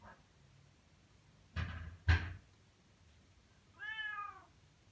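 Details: Sunny, a pet Bengal cat, meowing loudly indoors for attention, usually asking for food; two knocks come first, then one short harmonic meow near the end.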